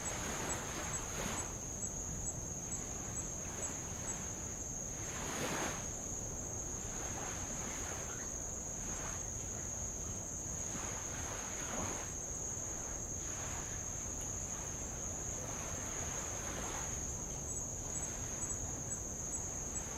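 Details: Insects of Avalau, Tonga, produce an even, shrill, continuous drone with faint clicking pulses on top, while light waves wash over old lava in irregular hissing bursts, one strong surge near the start.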